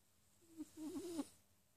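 A Sphynx cat snores with a thin, wavering nasal whistle lasting under a second.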